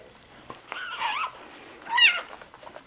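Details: Newborn Soft Coated Wheaten Terrier puppy during a litter birth indoors, giving two short high whining squeals, the second sharper and rising, with quiet room noise between them.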